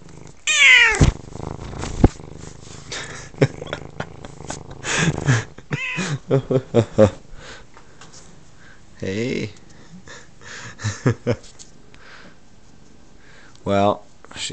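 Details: A 9-month-old spayed female F2 Savannah cat, formerly a half-feral kitten, gives loud, wavering meows for attention while a person talks to her; she does this almost every night lately, with face rubbing and purring; owner suspects springtime.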